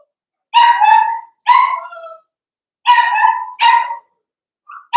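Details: Blenheim Cavalier King Charles Spaniel puppies in an indoor puppy pen: four high, ringing barks in two pairs, each trailing off into a short whine, with silence between.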